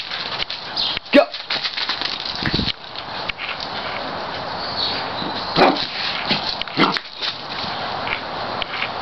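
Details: Female pet dog excitedly running around during play, giving a few short, sharp barks scattered across the recording over a steady rustling, noisy background.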